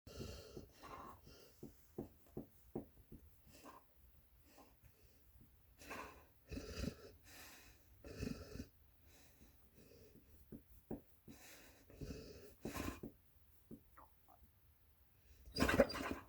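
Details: Sleeping puppy snoring very loudly indoors, recorded May 13, 2020: short raspy breathing bursts and wheezy snorts come in uneven runs, with louder broad rasping snores near the end in a quiet small room.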